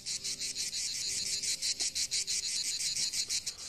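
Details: A cicada, settled on a branch, rapidly vibrates its membranes in a loud, high buzzing song that pulses several times a second and is sung to be heard by females.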